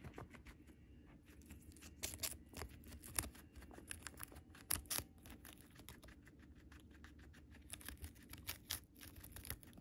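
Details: Home guinea pig Moru-chan eats Chinese cabbage, giving sharp crunchy chewing clicks at a fast, uneven rhythm, some louder bites standing out, in a quiet room.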